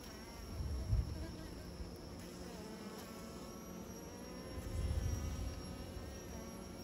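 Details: Bees making new nests give a low, droning buzz with faint harmonics, swelling louder near the first second and again around five seconds, over a steady background hum.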